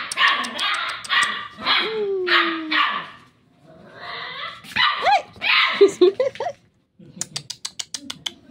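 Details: Newly adopted pet dogs Tanggol and Santino, Shih Tzu and Labrador; bursts of shrill yapping barks mixed with a drawn-out whine, then a quick series of short sharp yips near the end.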